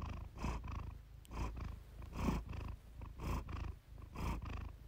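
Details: Domestic cat Iris giving a relaxed purr for purr therapy, low vibrating hum with rhythmic swelling breaths about once a second and a faint click near the start.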